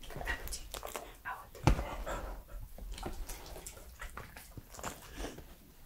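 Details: Mouth sounds from a three-year-old male Pembroke Welsh Corgi, recorded close-up: a steady stream of wet clicks and smacking noises, with one sharp loud snap partway through.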